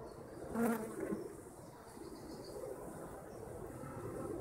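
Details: Honeybees kept by their owners: a single bee flies close by after half a second, its low droning hum and overtone swelling briefly, then fading back into the soft, continuous murmur of many bees buzzing.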